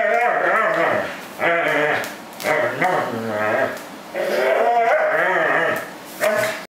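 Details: A corgi playfully 'killing' a plush fish gives rising and falling whining grumbles in bursts with brief pauses; the sounds are joy, not pain, and a person laughs.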